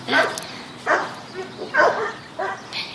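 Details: Patrick, a Bichon Frise poodle at the Animal Compassion Team Sophia adoption center, gives four short, sharp barks at roughly even spacing while playing fetch, with a person talking in the background.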